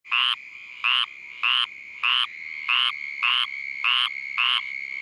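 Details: Squirrel treefrog in Vero Beach, Florida, calling at night while Uranotaenia lowii mosquitoes, drawn by its call, attack it. Eight short raspy, nasal notes, each about a quarter second, repeated roughly every 0.6 seconds over a steady high insect-like drone.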